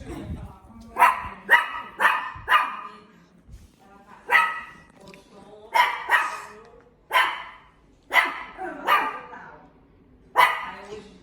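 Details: Series of about a dozen harsh, loud dog barks, often in quick doubles, spread irregularly over eleven seconds, with short quiet gaps between bursts.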